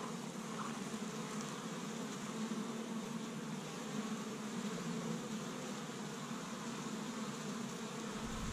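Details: Spring activity at a honey bee hive in Michigan on the first warm day, bees gathering pollen from tree buds; an unbroken, even buzzing drone of a crowd of bees from start to finish.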